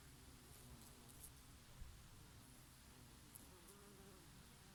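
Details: Honey bees foraging on oregano flowers in summer, a low steady hum of wings droning beneath a soft summer breeze, with a brief louder buzz as one insect passes close.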